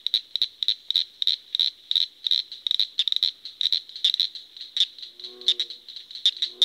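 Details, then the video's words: A frog produces a dense, continuous rattling chorus of rapid pulses, with faint lower croaking notes joining near the end. "Frog sounds"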